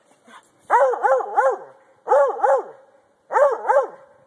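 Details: A Treeing Walker Coonhound barks in quick bursts of two or three ringing, arched yelps while jumping at a tree and a log during play, urged on by his owner.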